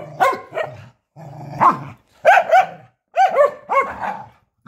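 A Corgi gives sharp, high-pitched barks in short clustered bursts.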